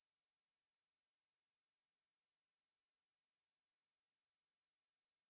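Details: High-pitched, unbroken buzzing from a Ruspolia katydid, recorded by the National Institute of Biological Resources in 2020, steady in pitch and loudness throughout, with no other animals or noise.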